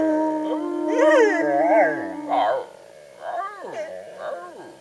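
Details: Ben, Ludo and Tina, three pet dogs, in a group howl: a steady held tone under wavering, yodelling voices that rise and fall, fading into shorter bending wails.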